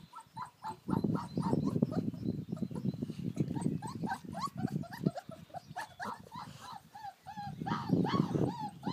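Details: Playing American Akita puppies out in the garden on a beautiful day. A busy, uneven stream of yelps and whiny yips, rising and falling in pitch, is layered over low growling rumbles. A few short pauses break the rapid chatter.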